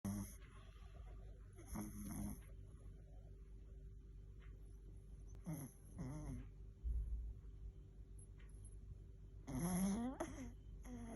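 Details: A sleeping Chihuahua snoring: low, rough, rumbling breaths run steadily throughout, broken by short higher squeaky or whimpering bursts near two, five and ten seconds.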